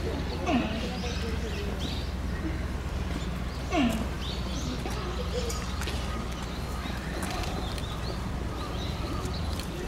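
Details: Tantan, a giant panda at Oji Zoo, calling for a while amid falling snow on 19 January 2021 while standing and scratching. Two brief downward-sliding calls about three seconds apart over a constant low hum and scattered faint chirps.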